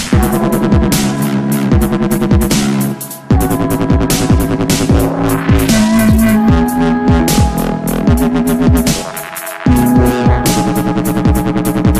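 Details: Loud electronic dance music with a heavy thumping beat, bass throbs and repeated synth notes, with a short break near three seconds; no animal sounds.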